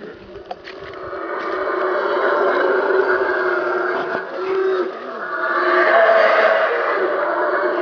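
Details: Black howler monkeys, two troops meeting at their territorial boundaries in rain forest by the Mayan ruins at Caracol, Belize; dense roaring chorus swelling and continuing, a sustained rough drone with overlapping voices.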